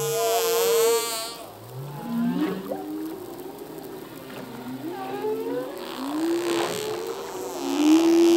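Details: Male humpback whale song, a full-length underwater recording: wavering tonal moans and swooping upsweeps in the mid range, several overlapping rising and falling phrases, with a sustained high whine near the start.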